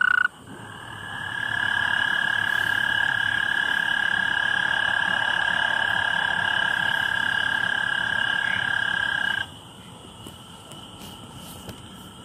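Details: Common tree frog at night gives a single sustained, buzzy trill that swells in over a second, holds steady for about eight seconds, then stops abruptly, leaving faint background hiss.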